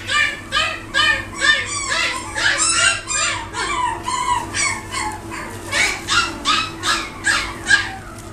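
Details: A male long-coat Chihuahua in Isabella tan gives a fast run of high, thin whimpers and yips, about two or three each second.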